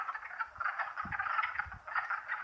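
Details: Spring chorus of wood frogs at wetlands in Longkill Woods, April 2014: dense, overlapping clucking croaks pulse steadily in a continuous rattling mass, with soft low thuds of movement underneath.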